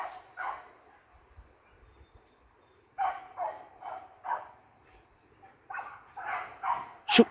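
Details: Several hunting dogs turned out into forest give short, hoarse barks: one early bark, a pause, then clusters of three or four barks in quick succession, ending with a loud knock.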